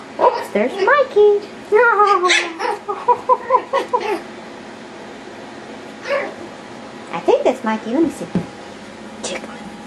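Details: Yorkshire Terrier puppies playing wildly. A quick run of squeaky yips and whines comes first, then quieter stretches broken by a few more sharp barks. People talk in the background.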